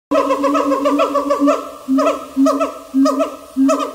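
A siamang gives a loud series of hooting, bending notes, each rising then dropping, repeated in quick bursts.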